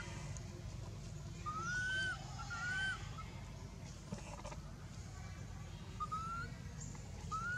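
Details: Hurt infant monkey Anissa, struck and dragged across hard earth by Aron at Angkor Wat Temple, lets out short arched squeals in pairs, separated by quieter gaps, over a constant low rumble.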